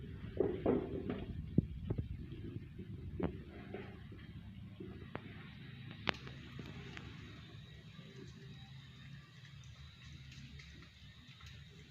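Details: Indoor room noise with a sliding door, scattered knocks and faint speech early on, then a steady low hum; no animal voice stands out.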